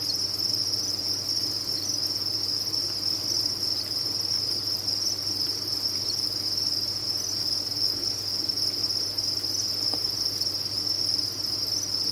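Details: Crickets kept on a cricket farm, offered as tinnitus relief: a dense, unbroken high chirping chorus holding one steady bright pitch with no pauses, over a faint low hum.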